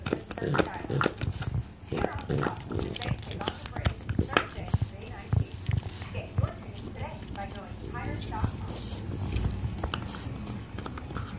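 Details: A French Bulldog chewing on an elk antler gives low, rumbling growls and grunts amid sharp clicking chewing sounds.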